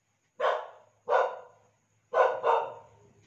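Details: Dogs in breeding season at midnight, a female courting a white-furred male; four short sharp barks, the last two close together, each with a quick fading tail, in otherwise quiet surroundings.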